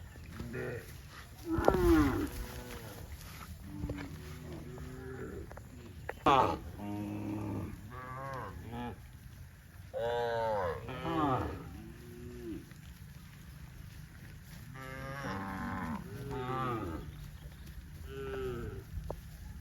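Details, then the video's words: Dozens of tame cows running happily in green grass rice fields at a cattle farm; many overlapping moos from several animals, short and long, some rising then falling, spread irregularly over steady low background rumble. "COW SOUNDS"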